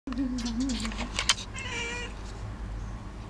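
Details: Domestic cat talking at birds: a drawn-out, wavering low meow, then a short harmonic chirping trill, with a few faint sharp high ticks in the background.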